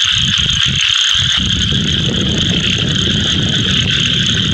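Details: A Scaber's toad gives a steady, rapid rattling trill with low rumbling underneath, its yellow vocal sac inflating; many toads are calling around the edges of a small pond.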